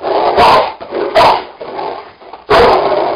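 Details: Cane Corsos, two of them, at play on an indoor springpole: three gruff, noisy growling bursts spaced about a second apart, with a person's encouraging voice in the small room.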